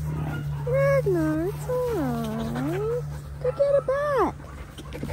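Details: Linc, a baby Australian cattle dog, plays with bigger puppies in a paddock. He gives long, drawn-out whining cries that swoop down and rise again, followed by shorter rising-and-falling yelps, over a steady low hum.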